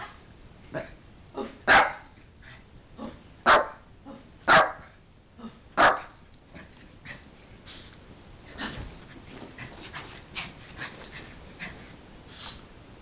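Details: Pet dog playing with a favourite toy indoors, giving several loud short barks around two to six seconds, then softer yips and growly sounds with toy rustling; a man speaks to the dog afterwards.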